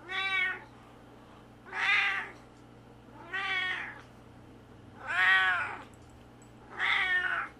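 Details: Maxwell, a male Siamese cat, gives five loud, drawn-out meows, each rising then falling, about every two seconds.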